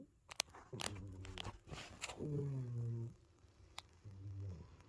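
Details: Sleeping cat snoring indoors: low, droning breaths with a buzzy harmonic texture, three snores spaced about a second and a half apart, mixed with sharp clicks and faint rustling.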